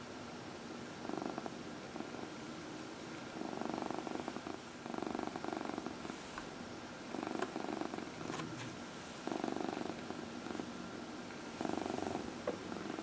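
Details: Purring from Dinah, a 14-year-old adopted cat, enjoying a massage on her lap at early evening, April 16, 2020; steady low rumble rising and falling in about six separate bouts, faint background hiss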